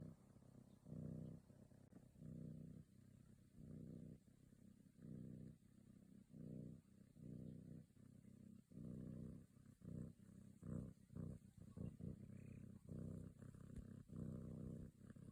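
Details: A kitten purrs steadily while kneading and yawning, a low rumbling buzz that swells and fades with each breath.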